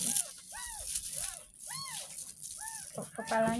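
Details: Distressed high mews from a ten-day-old kitten at its first bath after being found in a drain, five evenly spaced arched cries with a rattle and a voice at the end.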